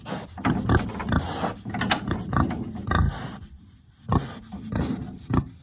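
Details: Hungry big pig kept in a village pig house on a warm autumn day, grunting almost nonstop with dense, harsh, low snorts, a brief pause, then more grunts.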